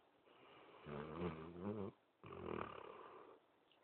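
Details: Sleeping Basset Hound snoring softly indoors: two long, raspy, rumbling breaths, the first swelling to a buzzy, harmonic-rich drone, separated by a short quiet pause.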